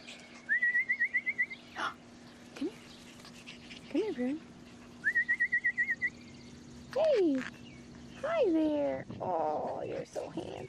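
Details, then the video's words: Six-week-old English Bulldog puppies, a litter of male pups: high wavering whines in short trilled bursts, then louder cries that rise and fall steeply, with short yelps near the end. "AKC English Bulldog Puppies at 6 weeks old"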